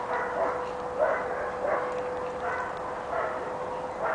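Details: Kali, also called ATLACAMANI Gümüş Sakal, a six-month-old pepper and salt Giant Schnauzer puppy, gives muffled barks about every 0.7 seconds over a steady hum and background hiss.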